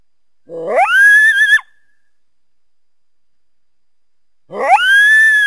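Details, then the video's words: Coyote howls, two rising wavering cries about a second each, separated by a long silent gap. "Coyote sounds (Real)"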